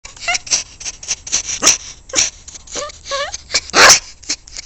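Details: A pet dog described as vocal every day, giving a rapid string of high, sliding whines and short yelping barks, some rising and falling in pitch, roughly two or three per second, with a louder harsh bark near the end.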